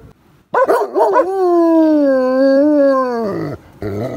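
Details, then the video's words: Farm dog that rarely howls, howling in response to a village fire siren: a sustained, slightly wavering tonal howl of about three seconds, opening with short yelping rises and ending in a falling slide followed by a brief yelp. "Gunner finds his Howl!"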